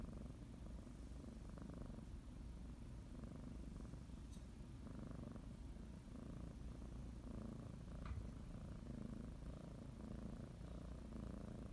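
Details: Pet female cat kneading a blanket and biting it before her morning nap, purring continuously; low, even rumble with soft rhythmic swells, a faint click or tap near the middle, otherwise calm and quiet.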